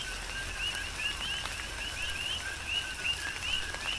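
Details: Big Island, Hawaii: coqui frogs calling through a tropical rain shower, with clear rising upper notes repeating roughly every half second over a lower steady tone and soft rainfall.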